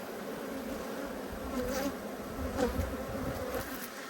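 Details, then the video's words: Honey bees from two hives, cross at being inspected on 5 March 2022, as brood hatches. A steady, low droning hum with an even tone that swells slightly midway, plus faint handling noise. "When Bees Go Wild - Inspecting Two Angry Hives"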